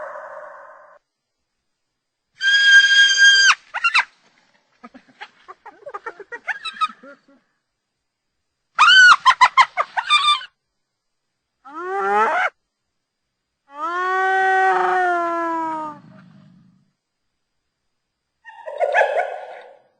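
Hyena calls: drawn-out harmonic cries, a rising whoop and a burst of rapid, giggling pulses.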